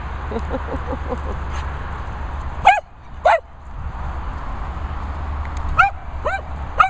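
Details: Dogs at a training and boarding kennels in the Worcestershire countryside, England, among them Phoebe, Daisy, Finlay, Murphy and Peppe. Sharp, loud barks come singly and in pairs over a steady low hum, after a run of faint, quick distant yaps.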